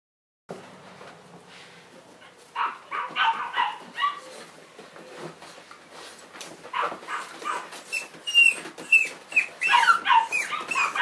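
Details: Three Cavalier King Charles Spaniel puppies, recorded in March 2014, giving high whining yelps and squeaky cries that come in quick irregular bursts, growing busier and louder toward the end.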